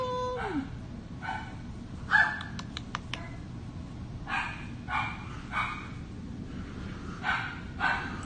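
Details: Red brindle female Havanese puppy giving short, bright yaps in spaced bursts about every half second to one second, with a person's voice and a few sharp clicks in between.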